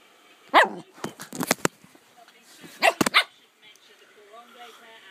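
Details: Cockapoo at play on a bed letting out bursts of loud, abrupt barks, a quick cluster of four or five early on and a double bark near the middle, with murmured speech from a broadcast underneath.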